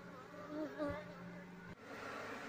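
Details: Asian honey bee colony nesting inside an active loudspeaker, disturbed while its honey is harvested and the bees are moved; no queen or larvae found in the comb. A low, steady droning hum with overtones, faint murmured voice, then a sharp click.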